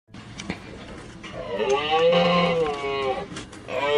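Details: Domestic cow, kept for its milk, giving a drawn-out tonal moo that swells and then falls away over about two seconds, followed by a second call beginning at the end. Clicks and other background sounds come before it.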